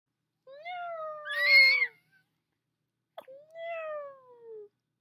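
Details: Pet puppy indoors by a fireplace, just woken, howling along to its owner's singing: two squeaky, drawn-out tonal wails, each slightly rising then sliding down, separated by a short click, with quiet room otherwise.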